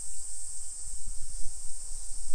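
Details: Cicadas singing on a very hot day in Komatsu, Ishikawa, Japan, while a heatstroke alert is in effect: a steady, high, hissing drone that holds on without a break, over low rumbling background noise.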